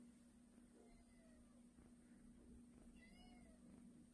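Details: Pet cat indoors in a home with two cats, white male Pie and tabby female Sunny, near their new custom-made cat pole: two soft, quiet harmonic meows, the second slightly rising and falling, over steady room hum while someone calls Pie.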